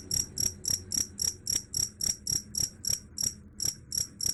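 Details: Bright, high pulsed chirps of a cricket, said to repel rats, come evenly almost four per second, each a buzzy ringing burst, over a quiet low hum.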